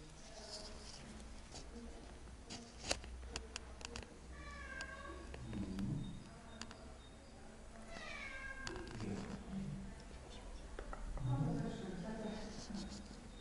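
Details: Pet cat, one of three (Siamese, Burmese, Bengal), on a vet visit with a car ride. It gives several drawn-out meows that fall in pitch, spaced a few seconds apart, over low rumble, with human voices in the background.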